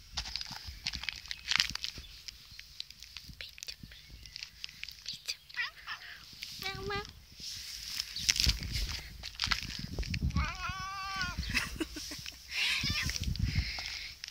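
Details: Grumpy, annoyed male Russian Blue cat, on antibiotics and possibly in pain, gives two meows amid coaxing human speech: a short harmonic meow midway, then a longer wavering, drawn-out meow near the end, with footsteps and handling noise.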